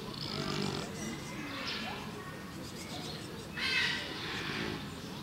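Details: A lazy dwarf pot-bellied pig sleeping at Tiergarten Linz lets out breathy, rasping snores: a rough exhale at the start, then a louder hissing one about three seconds later.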